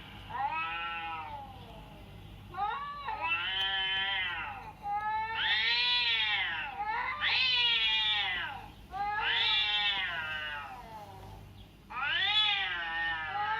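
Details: Cat meowing sound used to test how a cat reacts: six long, loud, whining meows that arch up and sag down, separated by short pauses, with a faint steady hum underneath.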